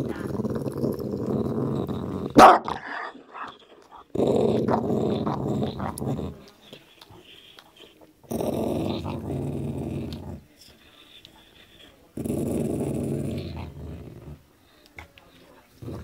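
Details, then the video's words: Grumpy dog guarding its meaty bone while eating, warning whoever comes near: four separate low rumbling growls, each about two seconds long, with short quiet gaps and a sharp click early on. "dog and bone"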